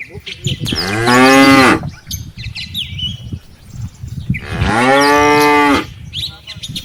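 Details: Two sustained moos about three seconds apart from a herd of tame cattle, mothers leading calves from grazing in a rice field back to their barn, with birds twittering softly in between.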